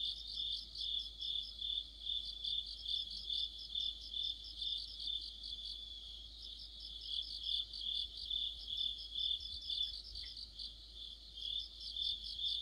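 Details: Crickets with other insects in an autumn chorus, a bright high trill under rhythmic chirping pulses about twice a second, several callers overlapping, quiet background otherwise.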